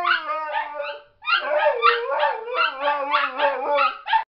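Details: Trained Siberian Husky howling in a trio with two other dogs: a long flat low howl, a brief pause, then a burst of overlapping warbling howls repeating in rapid, uneven pulses.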